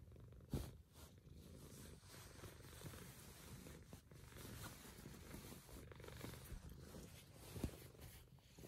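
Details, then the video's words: Pet cat purring as it wakes its owners: a constant low, rough rumbling purr lasting the whole stretch, with two short sharp taps near the start and end. "Purring cat knows exactly how to wake up the hoomans"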